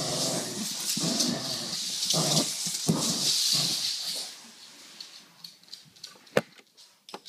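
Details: A dog producing Honda drift-like sounds: four seconds of rasping growly bursts with hiss, then the voice stops, leaving quiet background with a few sharp clicks and taps.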